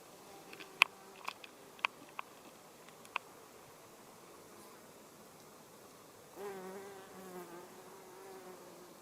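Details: Male Cheilosia illustrata hoverfly, a furry bumblebee mimic: after six seconds of quiet with a few sharp clicks, a low droning buzz with stacked harmonics starts abruptly and wavers slightly in pitch for the last two and a half seconds.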